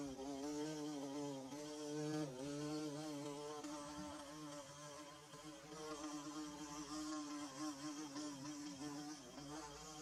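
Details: Bees buzzing while building their hive, recorded on a DSLR and a phone: a steady, droning hum with wavering harmonic tones that dip and swell slightly, continuous throughout with no other clear sounds.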